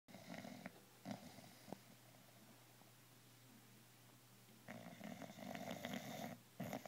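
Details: Wrigley the bulldog snoring while lying on his couch indoors: rough, rumbling snore bursts with a nasal rasp, two short snorts early on, a quiet stretch, then a longer drawn-out snore near the end.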